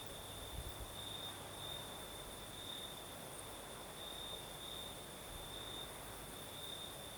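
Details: Crimean crickets sing through a southern night while a breeze blows: one unbroken, piercing high trill with occasional louder stretches, a faint upper tone, and steady airy wind noise beneath; a soft low thump near the start.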